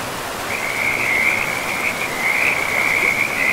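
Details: Frog by a forest river, giving one long, high, rattling trill that runs almost unbroken for about three seconds, with a faint hiss of flowing water behind it.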